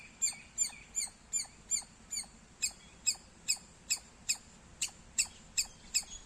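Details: Loud squirrel chirping: sharp, high-pitched chip notes repeated steadily about every 0.4 seconds, around fifteen in a row, each a quick downward-swept note, over faint low background rumble.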